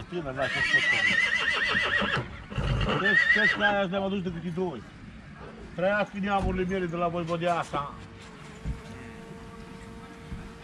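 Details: Horses for sale at Vicovu de Sus, Romania: three bursts of shaky, pulsing whinnies, each a rapid wavering series lasting about two seconds, with men talking, hoof clatter and a steady hum in the background.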